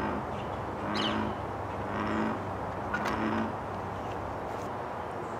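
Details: One large American bullfrog calls in the morning sun, giving deep, droning calls repeated about once a second over background noise.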